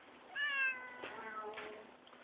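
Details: Tigger, a pet cat given organic catnip, filmed indoors in January 2011 on a BlackBerry; a drawn-out harmonic meow that dips and trails off, followed by a second softer meow, with faint room noise.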